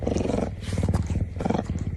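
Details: Marsel, a pet lynx, gives a low, throaty rumble in rapid pulses, the happy sound he makes every time he sees his owner.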